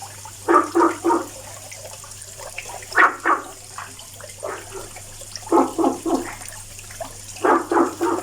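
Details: Daily calling frog produces runs of three or four quick, gulping croaks, with the runs repeating every couple of seconds against a steady low hum.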